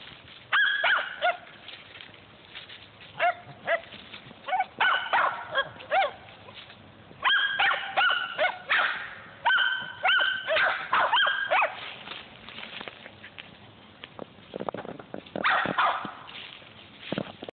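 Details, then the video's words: Squirrel hunting dogs barking outdoors while hunting squirrels, loud sharp barks in quick bursts of several, repeated about three times a second at the peaks, with pauses between bouts and a rougher bark near the end. "Squirrel hunting dogs"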